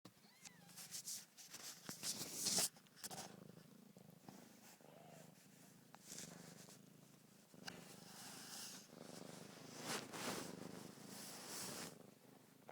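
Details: Narla, a mother cat with week-old kittens, purrs steadily while rubbing against the phone, the low rumble partly covered by loud rustling and brushing noises from her contact with it.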